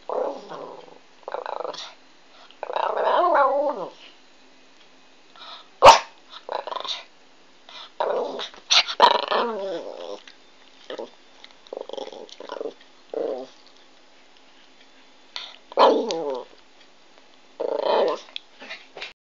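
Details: Pomeranian puppy trying to communicate, making a string of short grumbling growls and whiny, warbling moans in uneven bursts, with pauses between phrases and one sharp click partway through.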